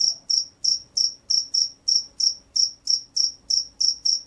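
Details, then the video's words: Field cricket of rice fields, noted as a strong caller, repeating high, ringing chirps a little over three per second in a regular rhythm, otherwise quiet. "SUARA JANGKRIK SAWAH"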